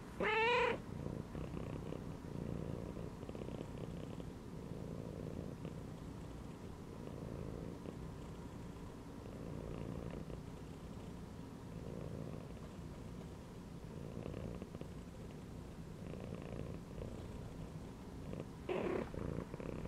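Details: Cat chilling inside a gym belt gives a short, clear meow at the start, then a soft, low purr pulsing in breath-length waves, and ends with another brief meow.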